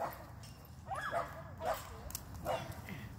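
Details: Dog at a dog park, three short distant barks spaced under a second apart, each a brief tonal burst with a falling edge, over steady outdoor background hum.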